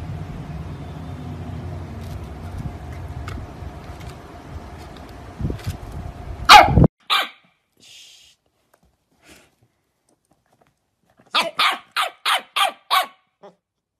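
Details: Corgi dog barking in a compilation of funny corgi moments: after a low hum and a loud thump, a quick run of six sharp, evenly spaced barks near the end, with a faint yip after.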